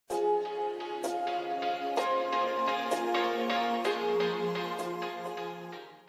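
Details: Music with sustained tones and repeated piano-like notes, and no animal sound.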